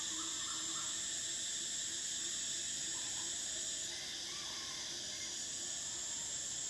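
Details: Cicadas in summer produce a continuous piercing buzz. The highest whine holds steady, then drops away after about four seconds while the broad hiss carries on, with soft brief chirps in the background.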